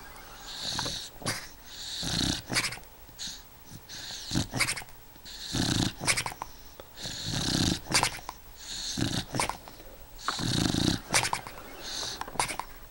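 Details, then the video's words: Snoopy, an eight-year-old pet beagle, snoring in his sleep: rhythmic rasping, snorting breaths about every three seconds, each a harsh hiss with a low throaty rumble, fairly loud and steady. "Snoopy snoring"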